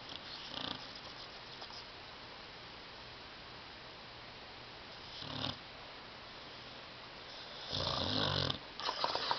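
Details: Dog asleep on a love seat, snoring very loudly: a few rasping, noisy breaths, two brief ones early and a longer, louder one near the end, over a steady low indoor hum.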